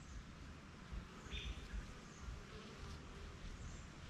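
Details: Honey bees working at a backyard hive, flying out for pollen and returning; a dense, steady low drone fills the clip, with a brief high chirp near the middle and soft hiss above.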